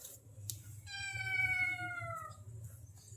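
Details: Pet cat asking for food again after being fed, scolded by a woman speaking Indonesian: a single clear meow of about one and a half seconds, gliding gently downward, with soft handling noises before and after.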